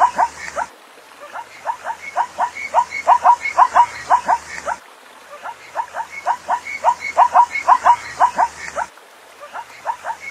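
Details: Zebra giving rapid runs of sharp, barking yelps, roughly two per second, delivered in sequences a few seconds long with brief pauses between them; otherwise a quiet setting with faint hiss.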